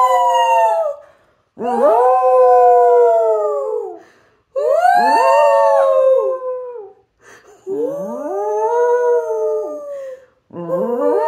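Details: A Fox Terrier "sings" with music playing, howling in long, wavering, tuneful notes, each sliding up then gently falling away.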